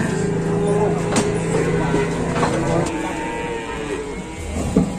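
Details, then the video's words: Raging cattle running loose in Indonesia: a long, low, steady moo lasting about three seconds, buried in handling noise, thumps and people shouting nearby. "SAPI NGAMUK"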